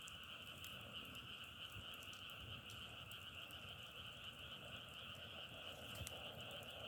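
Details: Steady massed frog chorus: a continuous shrill, trilling drone at two pitches, sprinkled with brief crackling ticks and a faint low background rumble.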